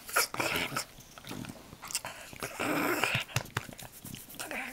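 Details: English bulldog Wilbur plays on a bed indoors, producing rough, raspy growls and grunting snorts in bursts, loud and close, with brief gaps between and a person's voice in the room.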